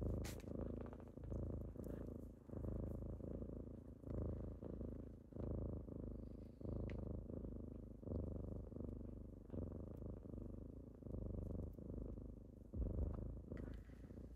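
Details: Morning purring from kittens waking someone up: a low, throaty, continuous rumble pulsing in regular breath-paced waves, with occasional light taps and shuffling in a quiet room.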